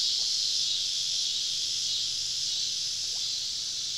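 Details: Dense cicada chorus deep in southern woods on a summer evening while camping, heard as an unbroken, hissing high drone of many insects all around, with no other clear sounds.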